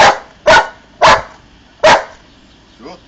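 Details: Four quick loud barks from Bonny, an Old English Sheepdog answering a six-take-away-two counting trick in the garden, followed by a faint voice.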